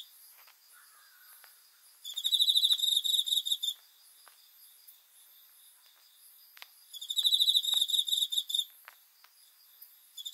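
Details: High-pitched cricket chirping at night, two pulsed trill bursts nearly two seconds long about five seconds apart, with light clicking and a low insect hum between them.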